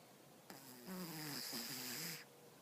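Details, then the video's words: Stella, a pet cat, conked out asleep indoors, gives one long rattling snore of almost two seconds: a low, buzzy, wavering tone with a breathy hiss on top, dipping briefly in the middle, then quiet room air. "My cat snores"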